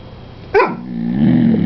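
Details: Pet dog sitting at the table begging for chicken indoors: one sharp short bark followed by a low rising growl-like groan, with a person scolding nearby.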